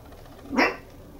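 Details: Two-month-old red female Toy Poodle puppy, kept indoors in Machiya, Arakawa, Tokyo, giving one short, sharp bark in a quiet room.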